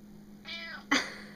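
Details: Indoor domestic cat being talked to makes a drawn-out, slightly descending meow, followed immediately by a sharp louder burst, possibly a second short meow.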